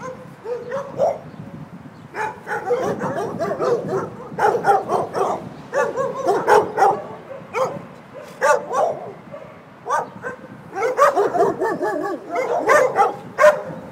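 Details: Chorus of dogs at a San Antonio, Texas doggie daycare waiting for their owners, barking in rapid overlapping volleys mixed with higher yips and a whine, pausing briefly before new bursts.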